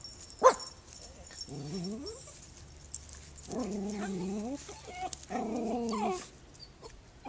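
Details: Puppy meeting a neighbour gives a sharp click-like yip followed by three drawn-out, low wavering whines with a buzzy, nasal tone, spaced over several seconds in a quiet room.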